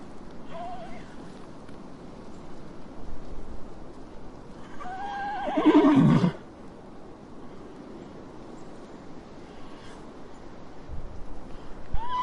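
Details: A horse gives one loud, quavering whinny near the middle, a shaky cry that slides downward into a throaty snort. Faint shorter squeals sit at the start and end over a steady low background rumble.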